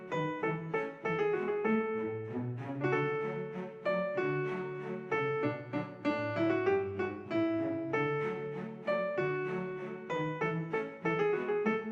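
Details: Piano and bowed string music plays throughout, and no animal voice is heard.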